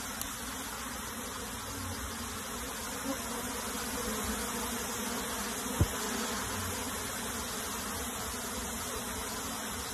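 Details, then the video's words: Many honey bees buzz steadily as their colony is transferred into a box; an unbroken broadband hum, with a couple of sharp knocks or taps partway through. "PEMINDAHAN LEBAH MADU KEDALAM KOTAK"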